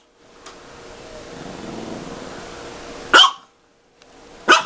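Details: Pet dog at play with a cat toy lets out two short, sharp barks about a second and a half apart, following a low steady background hum.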